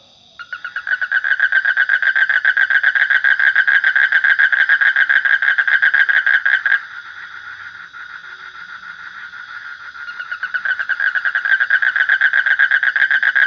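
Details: Frog call bursting in after a moment of near silence: a loud, fast series of buzzy pulsed croaks, a sudden break of several seconds, then the croaking builds again.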